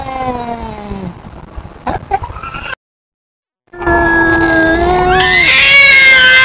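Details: Feral cat Tubs scolding an intruding cat with sustained caterwauling yowls, a low falling wail first, then after a short silence a loud, steady, rising howl that turns harsh and strained.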